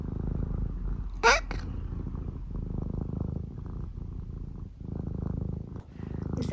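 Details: Eric, a senior tabby mix house cat in the UK who likes to talk a lot, lets out one brief high squeak over a steady, continuous low purr that runs throughout.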